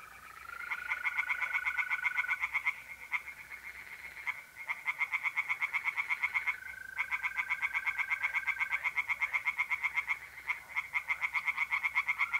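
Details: Tree frogs singing in a pond on a mid-April night in north-eastern Italy: near-continuous rapid croaking pulses, about four per second, in long bursts with short breaks, over a steady mole cricket trill.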